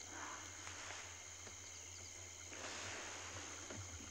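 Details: Crickets chirp in a steady, high, shimmering chorus over a low idling engine rumble at sunset in Djuma Private Game Reserve, Sabi Sand, greater Kruger area, 9 May 2020; scops owls also mentioned.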